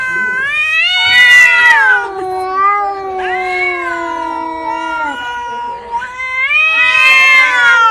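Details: Domestic cat heard in a funny cat compilation, giving long drawn-out wailing meows with rich harmonics, rising and falling in pitch, several calls running one into the next across eight seconds, loud and close.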